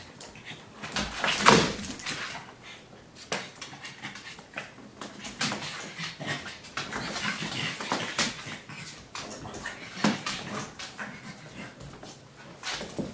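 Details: Indoors in a home office, a Pug and a Great Dane play. One sharp, bright yelp rings out early, followed by soft huffs, snuffles and scuffling movement for the rest of the stretch.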